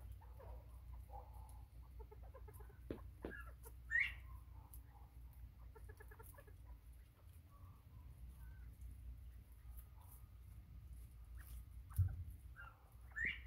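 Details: Bobwhite quail recorded 24 September 2023: sparse soft clucks and a few sharp upward-sweeping whistles spaced several seconds apart, with a couple of knocks and a steady low hum.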